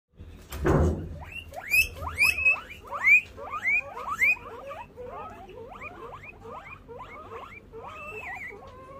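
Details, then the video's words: Guinea pigs calling on hearing the door open: a thump-like knock first, then a run of loud rising whistled squeaks repeated about twice a second, overlapping from several animals, fading into quieter chirps. "When guinea pigs hear the door open"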